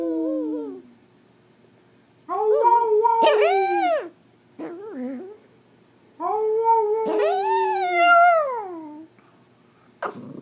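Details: Pomeranian dog singing: long wavering harmonic howls in three drawn-out phrases, each rising then sliding down, with short pauses between and a brief lower whine in the middle; quiet background otherwise.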